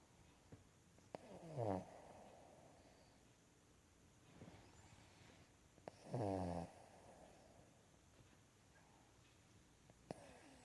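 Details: Sleeping Cavalier King Charles Spaniel snoring on a lap indoors; two long rattling, vibrating snores about four seconds apart, each rising and falling, with quieter breathing and a few soft clicks between them.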